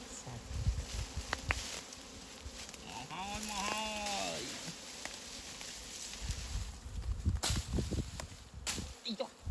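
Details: Bee at a very large nest during a honey harvest: a single droning hum swells and bends in pitch for about two seconds as it passes close, then rustling, handling noise and a man's voice.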